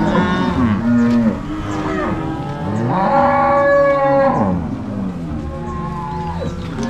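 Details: Angus-Nelore crossbred cows being driven from corral to pasture by three cowboys and six dogs on a farm in Ortigueira, Paraná, Brazil, March 2022; overlapping harmonic moos from several cattle, rising and falling, nearly continuous.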